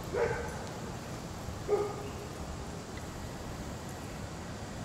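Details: German Shepherd/Collie mix named Dixie, shown before and after training with Raleigh Durham dog trainers, gives two short barks about a second and a half apart over steady outdoor background hum.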